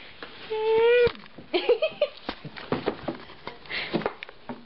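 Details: Diesel the husky vocalizing indoors while his owner asks about going upstairs: one brief rising tonal whine lasting about half a second, followed by human speech and soft tapping sounds.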